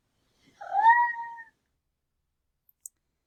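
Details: A domestic female cat in heat gives a soft murmur, a trill subtype: a single soft, tonal sound that rises briefly then holds steady; she cooed and trilled a lot while in heat.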